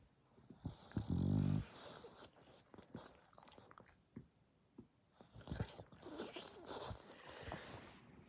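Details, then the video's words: Sleeping dog giving a single loud, low, buzzing snore lasting about half a second near the start. Quieter rustling and soft breathing noises follow. "Does your dog snore this loud?"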